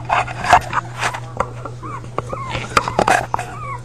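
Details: Whimpering from a litter of five puppies: a few brief, curved, squeaky whines amid loud rustling and bumping sounds of handling, with a faint steady hum below.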